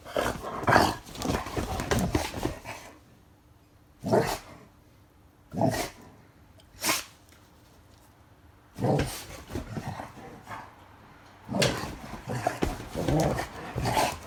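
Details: Guri, a black Labrador Retriever, acts as playmate for an older dog six years older, a Weimaraner. Rough playful growls and barks come in loud bursts, separated by several isolated single barks and near-silent gaps.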